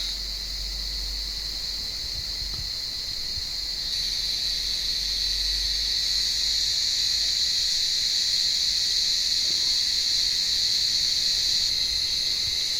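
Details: Cicadas calling from an olive tree on a warm evening while blind cats climb the branches to hunt them: a continuous high, shrill buzzing drone that swells louder after about four seconds and then holds steady, with no other clear sounds.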